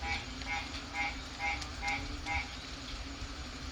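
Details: Frog calling at night from a porch in the Philippines during rain: short pulsed notes repeated roughly twice a second in a steady rhythm, over a constant background hiss of rain and street noise.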